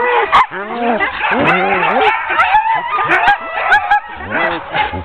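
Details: Excited sled dogs of a ten-dog team, hooked up for a training run in October 2010, bark and yip rapidly in a crowded overlapping chorus, with arching whines and a few deeper barks.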